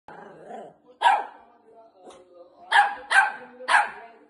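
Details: A Shih Tzu wagging its tail gives sharp, high barks, three in quick succession near the end.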